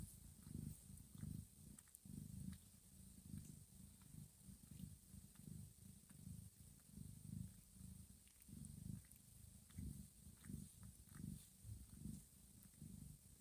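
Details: Purring mother cat tending her sleeping kittens indoors, gently licking them to wake them for feeding; soft low rumbling purr rising and falling in rhythmic breathing pulses throughout, quieter with light rustles and small clicks.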